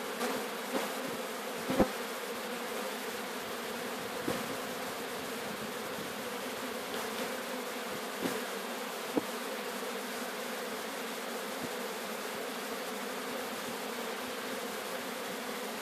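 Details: Apis mellifera sicula swarm at Sciacca being taken in: a constant low humming drone from many bees, broken only by occasional soft taps and knocks.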